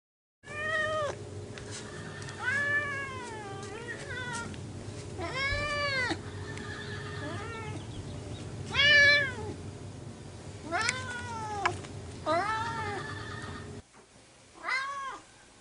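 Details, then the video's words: Vlaminck, an orange pet cat, meowing for the attention of Cocolo, a rescue dog it adores: a run of drawn-out, arching meows, roughly one every few seconds, over a steady low indoor hum. "Meow, I love you!"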